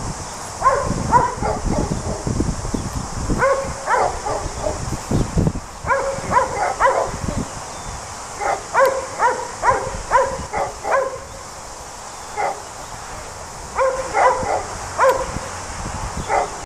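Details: Sheep dog, a Border Collie, at work with sheep in New Zealand, letting out quick series of bright yapping barks in several bursts, with rustling and low thumping handling noise in between and a constant hiss.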